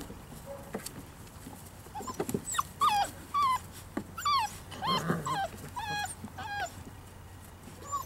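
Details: Five-week-old Poodle puppies playing outside, giving a busy run of high, downward-sliding whimpers and yips, roughly two a second, irregularly spaced and overlapping, over a low steady background hum.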